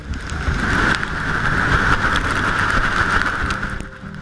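A steady mechanical drone with a hissing midrange band and low rumble fills the recording, with no animal voice to be heard.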